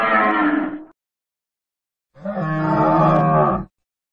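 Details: Two cattle calls: a short, nasal moo cut off quickly, then after a pause a longer, steady, full-throated moo of about one and a half seconds.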